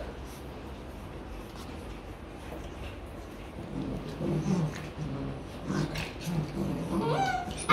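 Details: Rottweiler puppies in Vietnam playing together, practising biting and play-fighting; low rough growls and grumbles come in bursts from about four seconds, ending in a short rising whine, over steady background hiss.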